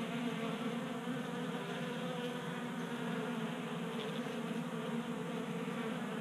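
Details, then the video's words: Several honey bees feasting at a 3D-printed feeder inside a Colorado garage during a warm January spell; a dense, even hum of wingbeats blends into a hissy background, with no clear individual fly-bys. "45 Minutes of Honey Bees Feasting from 3D Printed Bee Feeder ASMR"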